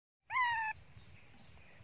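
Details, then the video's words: Hungry young pet monkey crying loudly for its mother: one short, loud, harmonic scream with a slightly falling pitch, about half a second long, followed by quiet room noise. "Very cry Loudy , Beautiful Monkey Janny Screaming cry Loudy / Janny Very Hungry on Mom"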